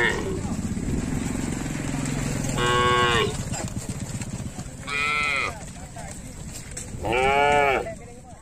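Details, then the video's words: Village cattle roaming the fields near a lake, giving three separate drawn-out moos spaced about two seconds apart, rich in harmonics, while a low motor hum runs underneath. "Sapi Lembu Jinak Berkeliaran di ladang minum air di Telaga desa"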